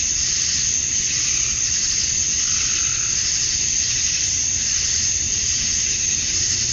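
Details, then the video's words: Male cicadas chirping to attract females at dusk on a summer night in Georgia, USA: a dense, unbroken high-pitched hissing drone that holds steady throughout, with a faint low rumble underneath. "Cicadas at Dusk, Summer Night"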